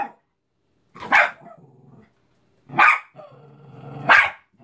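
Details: Cairn Terrier going after a Mickey balloon, giving three loud, harsh barks roughly every one and a half seconds, each one trailing into a low, buzzing growl.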